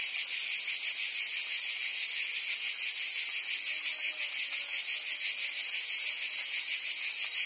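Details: Summer chorus of cicadas in Provence, France, forming an unbroken shrill, hissing buzz that holds level throughout, with a subtle rapid throb beneath the steady high tone.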